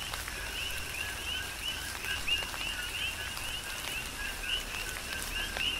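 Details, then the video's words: Big Island, Hawaii: coqui frogs in a tropical downpour. Clear upward-sweeping whistled notes pop out of a softer background chorus at irregular intervals, backed by continuous rain and occasional drip clicks. "Tropical Rain & Coqui"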